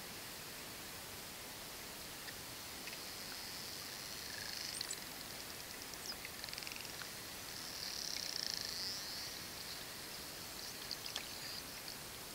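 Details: Inquisitive, relaxed pod of short-finned pilot whales approaching closely in the Mediterranean Sea, filmed underwater with a 16mm lens; faint high tonal whistles, held and slightly wavering, swell near five and eight seconds amid scattered clicks and steady water hiss.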